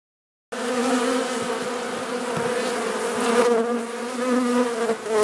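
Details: Carniolan honey bee colony humming inside its hive in southern Finland on 16 March 2017, outside temperature +3 C, while being fed by the Mountain Camp method; a steady low droning hum with rich overtones that swells slightly toward the end.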